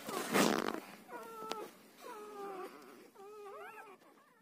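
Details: Newborn Siberian Husky puppy, one to ten days old, starting with a burst of rustling noise, then three thin drawn-out whimpers, level or gently wavering, the last rising and bending, fairly quiet.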